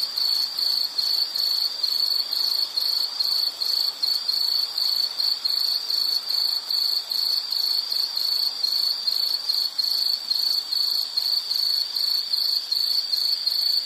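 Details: Insects chirping in a natural setting, a high trill chopped into quick regular pulses about two and a half per second, loud and unbroken across the recording, with a faint upper buzz.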